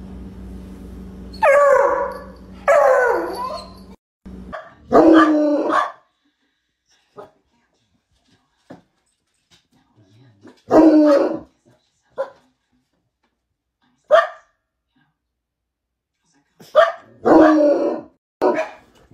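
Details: Bloodhound, the scent-hunting hound also called St. Hubert Hound, giving deep, musical barks in short bursts, some drawn out toward a howl, clustered near the start and again around the middle and end with silent gaps between.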